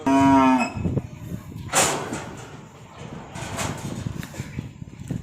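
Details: Calf among 17 calves being delivered by truck to a farm in Nong Bua Lamphu province, Thailand, gives one short low moo at the start, followed by noisy handling sounds and background music.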